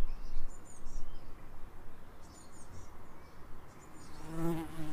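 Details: Bees in an Edinburgh suburb giving a steady low buzzing drone that swells and fades, with thin high bird chirps above and a brief louder rustle near the end.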